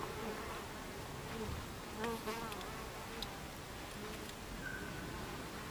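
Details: Buckfast honey bees at the hive entrance, 26 July 2013 at 14:30: a steady, soft hum with faint buzzing as single bees pass close by.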